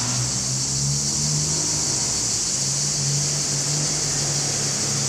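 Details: Chorus of male cicadas in Larissa, Greece, July 2020, recorded with a Panasonic HC-X900: a steady, loud, sizzling high drone without pause, over a faint low mechanical hum.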